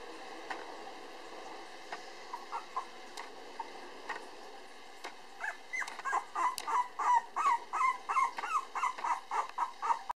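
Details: Timid male Cavapoo puppy born 24 August, darker than his siblings: a few scattered soft yelps at first, then from about halfway a fast, insistent series of high whimpering yips, nearly three a second, over quiet room hiss.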